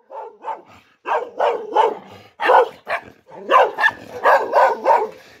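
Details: Dog giving rapid bursts of barks, two quick ones, a pause, then longer runs of hoarse, rough barks close together, loud and harsh, with a low rumble under a few of them.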